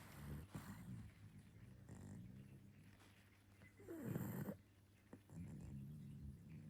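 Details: A sleeping pug in London snores in low, rough, rumbling breaths, with a louder snort in the middle.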